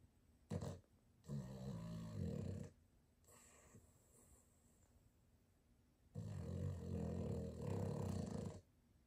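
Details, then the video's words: Sleeping Boston terrier with heavy snoring: a short snort, then two long, deep, buzzing snores, each lasting one and a half to two and a half seconds, with quiet breathing gaps between them. "the Boston terrier can really snore"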